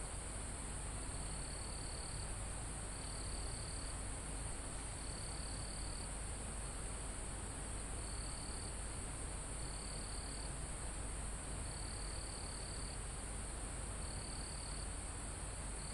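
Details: Crickets and other insects in a calm forest near the top of a mountain, live recording: a high, thin buzzing trill in bursts of about one second, repeating every one to two seconds over a steady hiss of wind in foliage.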